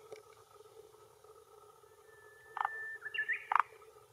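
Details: Male forest green tree frog (Rhacophorus arboreus) croaking with throat vocal sac at a hillside pond shore in Japan, early June 2021, around 18:10, claiming territory and attracting females; two short pulsed clucking notes a second apart, plus a thin whistle and steady background hum.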